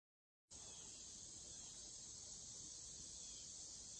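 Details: Cicadas, among Wisconsin's largest insects, give a steady, high, hissing drone outdoors in late summer, used to communicate acoustically, staying even and unbroken throughout.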